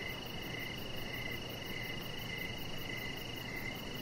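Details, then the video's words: Crickets chirp in the evening around a deck where a chihuahua puppy rests; a few short chirps recur about twice a second against an unbroken high-pitched drone and a low, steady hum. "Cricket Sounds"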